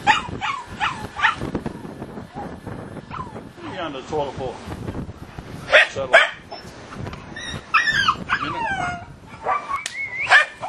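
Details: Puppies at play, giving high whining yelps and short squeaky barks that rise and fall in quick bursts, with human speech mixed in throughout.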